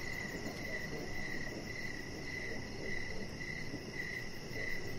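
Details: Evening crickets heard from a deck outside, chirping in a fast, even series of bright, high-pitched pulses over a constant low hiss.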